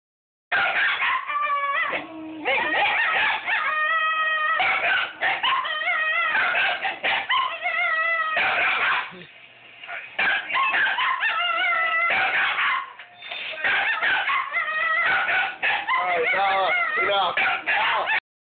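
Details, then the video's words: Two female Shiba Inu sisters scream in shrill, wavering, harmonic bursts while squabbling over a chew, the younger wanting the older's chewy and the older annoyed. "Shiba Inus screaming"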